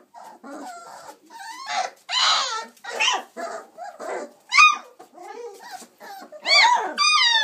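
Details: Playing chocolate Labrador Retriever pups, 26 days old; varied whimpers and squeals, some low and grumbling, others high, sharply arched yelps near the end.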